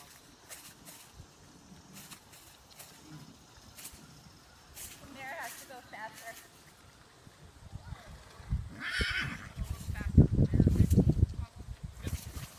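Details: Belgian Warmblood filly born in 2016 at a show, where she placed first overall with a score of 81; a wavering, quavering whinny midway, then loud low thumping and handling noise, with people talking nearby.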